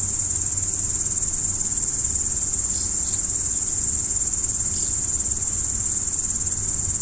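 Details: Crickets at night, a dense, unbroken high-pitched trill holding steady throughout, with a few faint short chirps slightly lower and a soft low rumble beneath.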